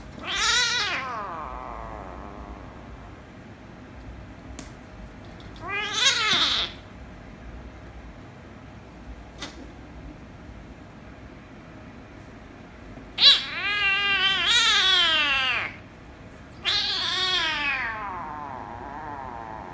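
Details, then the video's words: Kittens, a ginger kitten and a rescue kitten, in a spat that ends with kissing and licking: four loud, harmonic meows, each rising then falling, separated by quiet gaps with a couple of sharp clicks. "Ginger Kitten Made The Rescue Kitten Angry, But Kiss & Lick Kitten At The End - Cats Meowing"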